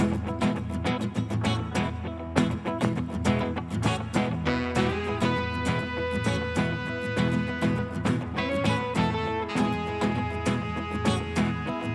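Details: Plucked guitar and string music plays throughout with a lively rhythm; no meowing or other animal sounds are heard.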